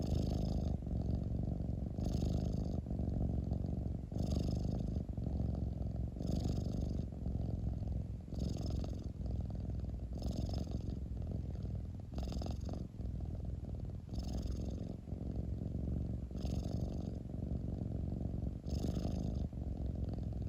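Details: Domestic cat purring close up indoors, a steady deep rumble that swells in cycles about every two seconds, each cycle marked by a soft breathy hiss, continuing unbroken for twenty seconds with no other sounds.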